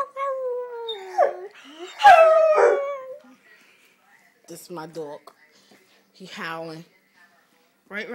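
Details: A 7-month-old male Rottweiler "sings" in drawn-out, wavering howls that slide up and down, followed by a man talking.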